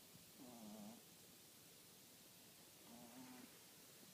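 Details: Snoring French Bulldog, two low nasal wheezing snores roughly 2.5 seconds apart, the first longer and dipping in pitch, the second flatter and shorter, with constant background hiss between.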